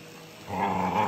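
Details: Ivy, a Border Collie, attacking a running vacuum cleaner: after half a second of steady motor hum, a rough, throaty growl rises and holds over the drone to the end.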